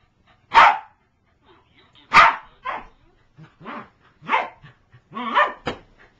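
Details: A female corgi attacking her toy lets out harsh, throaty barks and growling yaps in short explosive bursts, coming unevenly about one to two seconds apart, with softer grumbles between.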